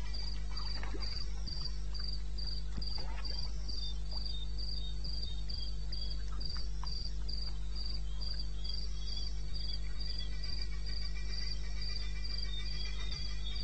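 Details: Night-time cricket in wild eastern Botswana, recorded at 2:30 am in May, giving rapid evenly spaced high-pitched chirps, roughly three or four per second, with a second fainter caller and a steady low hum behind.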